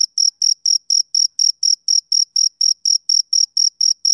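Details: On a summer evening a male cricket keeps up a fast, even series of sharp, high chirps, nearly four per second, clear and isolated with no other sound.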